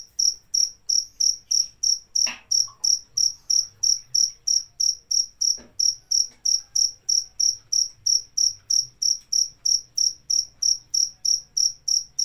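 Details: A cricket keeps up fast, regular chirps near three per second, around 37 high, piercing pulses, with a brief click near the two-second mark and a soft low hum underneath.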